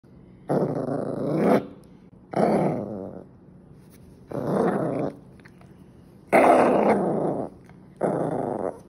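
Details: Angry toy poodle growling in a room: five long, rough growls of about one second each, separated by short pauses, the fourth the loudest.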